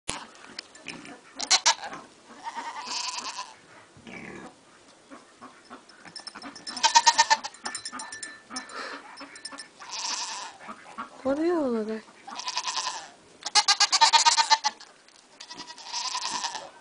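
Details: Pygmy goat kids bleat in short, nasal, wavering bursts with uneven gaps while playing on a Shetland sheep in February.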